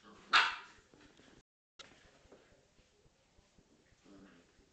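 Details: During play between a Corgi and a Scottish Terrier, a single sharp, loud bark opens, followed by a short gap and quieter low growling noises and scuffles indoors.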